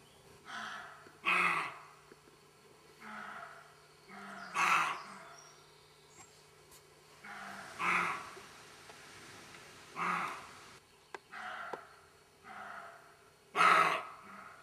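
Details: Roe deer barking in a garden, with harsh, hoarse, noisy barks coming every one to three seconds, mixed loud and softer ones, over a quiet steady background hum.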